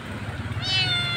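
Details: Lone kitten, apparently abandoned or left behind by its mother, crying very loudly by a roadside during a rescue: a single loud, high, harmonic-rich meow that starts mid-clip and holds steady over a low rumbling background.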